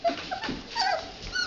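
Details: Red Standard Poodle puppies in a whelping box give short, thin, high whimpering squeaks with a few faint rising whines, muffled shuffling underneath.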